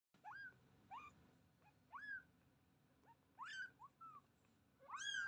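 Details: Young kitten giving a series of short, quiet, high-pitched mews, each rising then falling in a small arch, spaced irregularly over about five seconds against a faint background hum.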